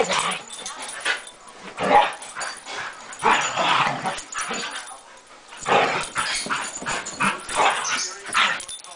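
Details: Pair of domestic dogs in a playful rumble on a Sunday morning, giving throaty growls, grumbles and short yips in irregular bursts, roughly one loud outburst every few seconds.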